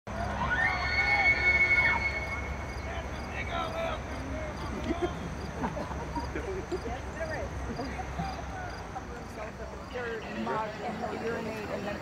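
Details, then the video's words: Bull elk bugling during the September rut near the Oconaluftee Visitor Center in Cherokee, North Carolina, weekend of 16 September 2022, filmed with a Canon R3: a high, flat whistle with harmonics lasting over a second, then people talking nearby. "The 2022 Elk Rut in Cherokee, NC"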